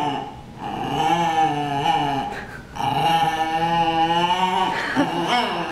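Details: Two dogs in a brawl, letting out long, drawn-out growling whines with rich harmonics that rise and fall, pausing briefly before a second sustained bout, ending in shorter strained yelps.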